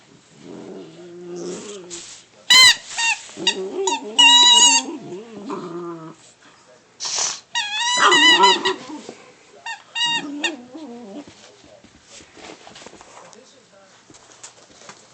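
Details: Boxer puppy playing with its favourite squeaky toy: wavering, nasal whines and grumbling growls come in short bursts, broken by sharp, high-pitched squeaks of the toy and rustling play noises.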